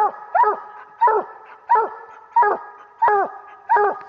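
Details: A year-old coonhound pup barks at a raccoon it has treed while hunting. Loud, bawling barks come in a steady rhythm, about one every 0.7 seconds, each starting high and sliding downward in tone.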